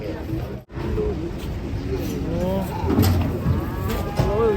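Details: Agitated cattle being unloaded from a swaying truck give low, drawn-out moos with wavering tone, overlapping with loud human voices and shouting throughout.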